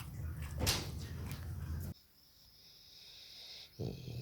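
A boxer dog makes low, rough grunting and snuffling sounds indoors, with a brief sharp noise.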